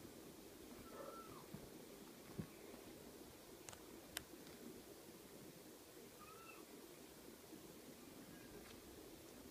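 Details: Ocicat kittens at six weeks old make two soft, brief mews roughly five seconds apart, each a little upward-then-downward curl, over a steady indoor hiss with a few sharp clicks.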